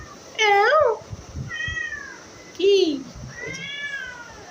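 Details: Indoor house cat uttering two loud wavering meows and two softer falling ones within a few seconds, with a person's Bengali voice murmuring between the calls.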